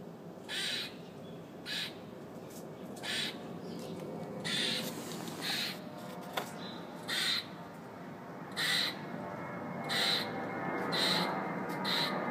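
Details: Very loud squirrel on a fire escape, screaming and squawking: harsh, noisy bursts repeated roughly once a second, some short and some longer, over a steady background hum.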